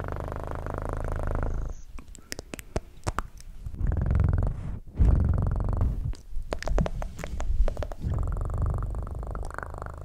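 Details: Purring house cat, a deep throbbing rumble that fades out, returns in the middle amid bumps and clicks, then resumes more gently toward the end.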